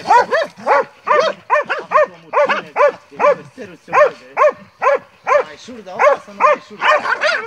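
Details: Montenegrin Mountain Hounds from kennel 'Sutorman' on a hunt, baying at a wild boar: rapid, regular run of harmonic, arched barks, about two per second, continuing throughout with brief gaps.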